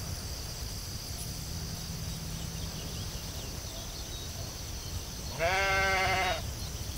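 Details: Sheep in a field giving one bleat of about one second, a harmonic, wavering cry late in the recording, over steady low rumble and a constant high insect-like hiss.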